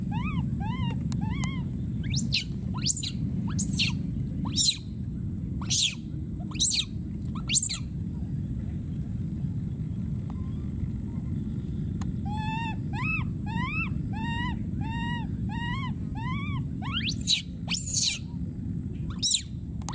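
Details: Lone wild baby monkey calling for his friend: a few cries and sharp snapping clicks early, then a rapid string of evenly spaced arched wails, more clicks after, all over a low continuous rumble.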